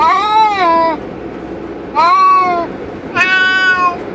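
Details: Highway car ride with two cats in a cage: three long, strained meows, the first and last about a second each, over low continuous road hum.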